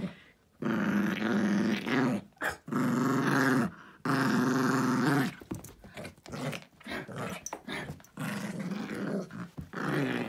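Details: Indoor pet dog playfully growling while mauling his stuffed elephant, a nightly after-dinner game; long wavering growls early, then choppier broken growls with toy-shaking noises.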